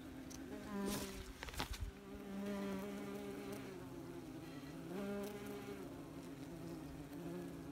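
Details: Close to a busy wasps' nest, a continuous layered buzzing hum swells and fades as insects pass by, broken early on by a few sharp rustling knocks.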